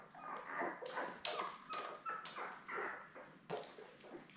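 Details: Labrador Retriever pups, seven newborns born May 24, 2021, beside mother Belle indoors: rapid run of short high squeaks and whimpers, several steady whistled notes, broken by soft scuffling bursts.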